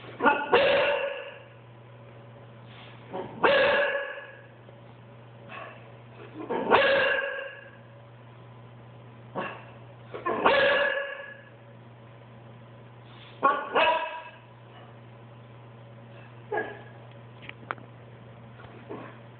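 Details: Boxer dog protesting cheese being cut from his diet, giving whining yowls and yips repeated about every three seconds, rising then falling, over a constant low electrical hum.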